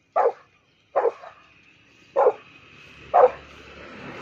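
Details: Rottweiler barking angrily at a cow: four loud, abrupt barks spaced about a second apart, with a faint steady hum in the background after the second bark.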